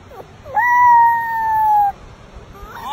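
A puppy gives one high, drawn-out howl that holds steady, then slowly sinks in pitch.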